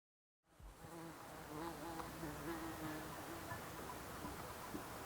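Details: Bees and other insects buzz steadily in the quiet mountains of the Alpstein massif, Switzerland, a low droning hum that wavers in pitch as they fly past.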